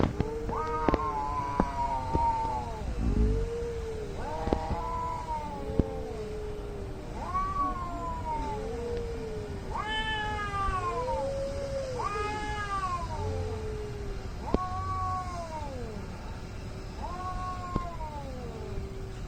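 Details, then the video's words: Cat fight between angry cats, a long run of arched, moaning yowls repeated every second or two, alternating higher and lower voices, with occasional thumps and traffic-like rumble. "CAT FIGHT ANGRY CATS - Making weird noise"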